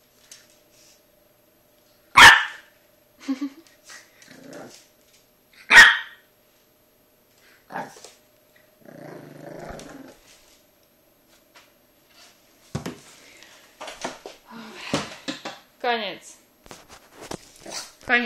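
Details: French Bulldog puppy, afraid of a brush, gives two loud sharp barks, a low rumbling growl, then a run of short yelps and whines toward the end.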